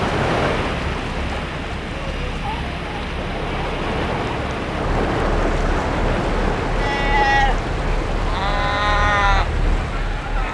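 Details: Cape fur seals on a small rocky island off South Africa's Cape coast, hauled out after hunting and riding waves onto the rocks, give brief nasal, bleating calls over the steady roar of breaking surf.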